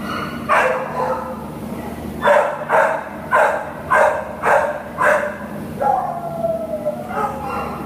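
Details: American Cocker Spaniel up for adoption barking: a run of six loud, evenly spaced barks about every half second, followed by a drawn-out whine and one more yelp, with a constant low hum underneath.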